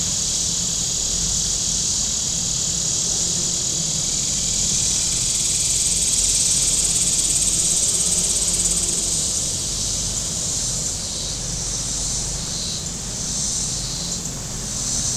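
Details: Cicadas along the shore of Table Rock Lake, southern Missouri, on a very warm Saturday: a dense high buzz that breaks into rapid pulsing bursts toward the end, over the low drone of boat engines on the lake.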